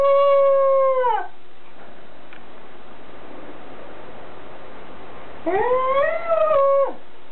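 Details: Goro, a Welsh Corgi, recorded on 5 October 2006, gives a drawn-out, wavering howl, falls silent, then howls again with a rising note.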